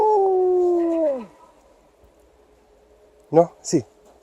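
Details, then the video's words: Liza, an Alaskan Malamute, howling along with an air raid siren tested on the first Saturday of the month during a winter walk; a steady held tone gliding down and fading after a second, then two short sharp sounds. "Alaskan Malamute backs up the air raid siren"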